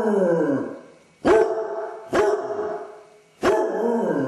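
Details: Basset Hound left alone, showing separation anxiety by howling and whining; four sustained bays with steady tones that fade slowly, each new one starting with a sharp onset about a second after the last.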